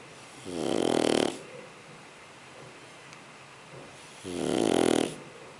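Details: Sleeping Shar Pei puppy giving two long, loud rasping snores about four seconds apart, each lasting under a second, with soft breathing in the gaps.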